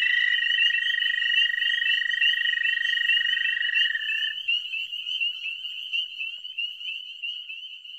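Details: Male dwarf American toads chorus in spring at a small breeding pond, giving their advertisement call: long, high, steady musical trills that overlap.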